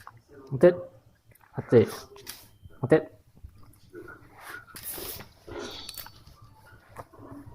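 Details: Hachiro, a black Shiba Inu, gives short, high whining yelps in greeting as he welcomes someone home while a person calls him over.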